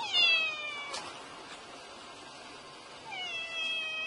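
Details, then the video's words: Young black kitten giving thin, high-pitched mews that slide downward, one at the start and one near the end, with a soft hiss of background noise between them. "Tiếng Mèo Kêu Meo Meo"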